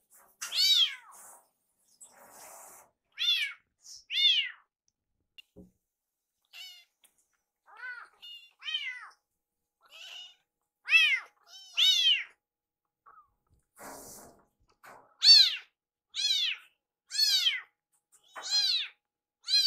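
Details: Iru, a rescued kitten nicknamed for his "iru" cry, pesters his caretaker while food is prepared indoors. Meows vary from soft to loud, arriving in irregular clusters and growing stronger and faster toward the end.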